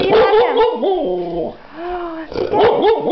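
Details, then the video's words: Pet dog whining while missing her absent owner: long, sliding, tonal whimpers that rise and fall in pitch, broken by short yelping bursts, with a person talking softly nearby. "Naiema misses her daddy!"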